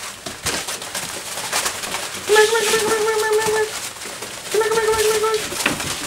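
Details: A group of six-week-old Doberman puppies at play with a flirt pole in a small room: two sustained, even-pitched whines about two seconds apart, each roughly a second long, amid pattering feet and knocks.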